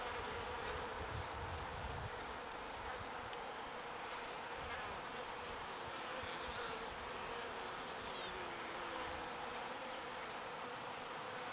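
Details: Small bees foraging for pollen and carrying it back to the hive; a steady, low droning hum of many wings runs throughout, with a broad hiss of background noise.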